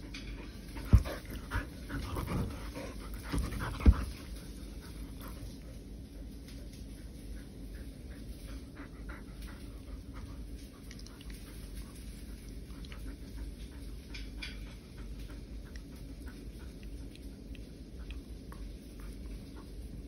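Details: Pet poodle playing indoors at home during a period of staying home because of coronavirus, panting in a steady, breathy rhythm throughout, with two sharp knocks or thumps in the first few seconds and quiet room background.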